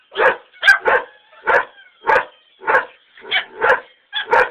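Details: Greyhound on a back porch, barking in reaction to greyhound videos with rooing: rapid, hoarse mid-pitched barks, roughly eight in under five seconds, with a faint tone running behind.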